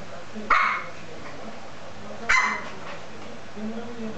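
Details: Lhasa Apso puppy, 13 weeks old, playing with a teddy bear indoors: two short sharp high yapping barks about two seconds apart over a low background hum, with faint low murmuring between.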